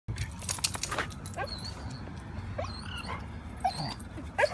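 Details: A newly adopted dog, eager to fetch, squeaks excitedly while walking from the car to the ball field: thin, high whining squeaks, some sliding upward, scattered irregularly over steady outdoor background noise.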